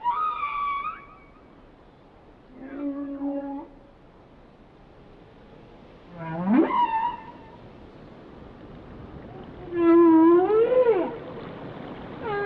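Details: Whale song with varied tonal units: a wavering high note, a steady mid-pitched tone, then strong moans that sweep sharply upward and arch over, spaced several seconds apart in a quiet background.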